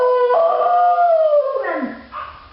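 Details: Pet dog Bailey Blue howling in excitement at another dog outside: a loud, sustained tonal howl that holds steady, then slides downward and fades into a softer, lower whine near the end.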